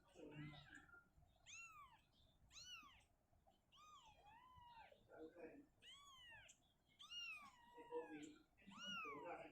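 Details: Indoors, the cat Shizuka shifts her kitten out of a cabinet to open space. A rapid run of bent, arching meows, some doubled, repeats throughout, with human speech heard alongside.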